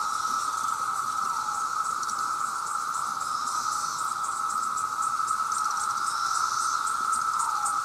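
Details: Massed male cicadas calling to attract mates, a sound loud enough to damage hearing: an intense, unwavering electric whine with a bright sizzling shimmer above it, pulsing slightly but never stopping.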